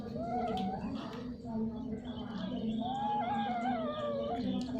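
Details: Mating domestic cats, repeatedly and for a long time, give wavering, rising and falling moaning yowls, rougher and less clear, mixed with scattered clicks and a constant low droning background hum.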